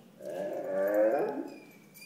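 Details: Kingsley, an Italian Spinone dog, talking: a single drawn-out, tonal moaning vocalization that swells and bends slightly upward, then eases down and fades over about a second and a half, against a quiet background.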